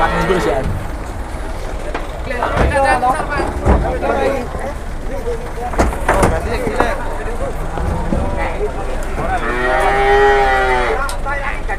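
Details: Among cattle unloaded from two trucks in Indonesia, a single long moo sounds near the end, following thumps, vehicle rumble and shouting voices.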